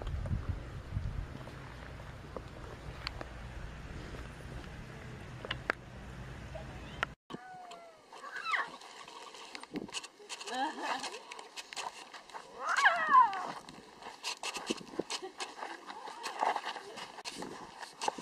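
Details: Lion cubs squeaking: after low rumbling handling noise, a series of thin, harmonic squeals and short descending mews, the strongest near the middle, mixed with brief human voices and clicks.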